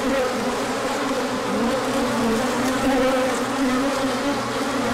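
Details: Honeybees on a large orientation flight as the sun comes out after colder weather, pollen coming in: a dense, steady swarm hum with overlapping wingbeat drones wavering up and down, constant loudness throughout.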